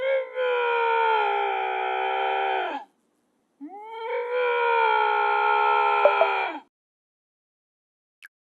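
A Canada lynx gives two long, harsh, wailing screams, each sagging downward at the end.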